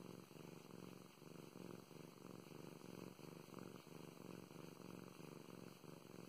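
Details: Domestic cat named Mow Mows, a female pet, purring indoors while being petted; a steady low rumbling purr pulses in regular inhale-exhale cycles throughout, with no other sounds.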